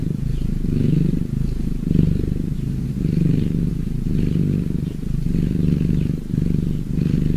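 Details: Cat purr, a dense, grainy low hum with soft rhythmic surges, a brief louder swell near two seconds and a short dip toward the end.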